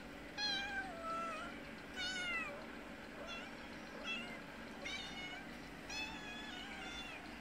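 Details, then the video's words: Outdoor mother cat with a kitten begs for food at a house she visits twice daily: about six clear, bright meows, each sliding down in pitch, spaced one to two seconds apart, with a low constant hum behind. "Kitten mother meowing asking for food."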